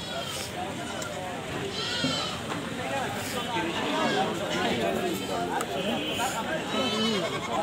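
Goats give loud, quavering bleats, with human voices talking in the background.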